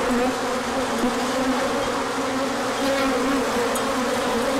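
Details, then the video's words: Orientation flight of many bees as the sun appears after colder days; an even, layered buzz of overlapping wingbeat tones, with a few brief faint clicks above the hum. "Large Orientation Flight."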